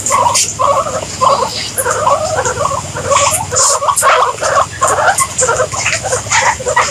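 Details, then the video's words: Guinea pigs squeaking in a quick, even rhythm, short mid-pitched chirps about three per second without pause, over a low hum and a constant high hiss. "Guinea Pigs Sound"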